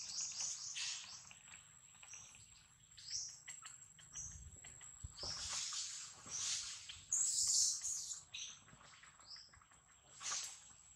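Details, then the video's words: Baby monkey named Lizza 'talking': high, thin squeaks and chirps in short bursts, some rising, repeated irregularly across the clip, with a steady faint high tone behind and soft rustling below. "Adorable baby monkey Lizza was talking very cute"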